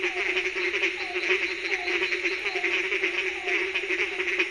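A nighttime frog chorus gives a continuous low pulsing drone, with short repeated croaks recurring about once a second. A bright, unbroken high-pitched buzz, likely insects, runs underneath the whole time.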